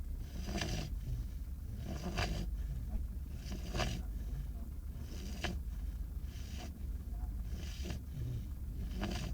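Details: Five-month-old beagle puppy asleep in the back of a car while waiting to board a ferry to Ireland, snoring in soft breathy bursts about every second and a half over a steady low rumble.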